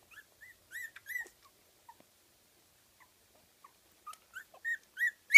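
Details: Fifteen-day-old Kooikerhondje puppies from a kennel litter in Sweden, giving short high squeaky whimpers, mostly rising then falling, scattered singly across the moment with brief silent gaps.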